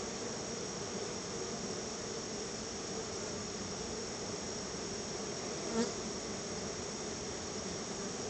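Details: Honey bees at their backyard hive, crowding in as they are fed a treat of store-bought honey: a steady, low, droning hum of many wings with a faint higher hiss, broken by one brief click near the end.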